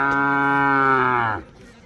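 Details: A five-month-old bullock calf bred for racing, from a group of ten brought from Karnataka, gives one clear, sustained moo of about a second and a half that holds its pitch and then drops away at the end.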